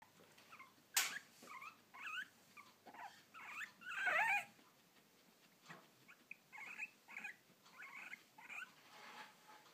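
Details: Guinea pig with hiccups: short, chirpy squeaks in irregular bursts, each a quick bent note, with one louder cluster partway through against a quiet room.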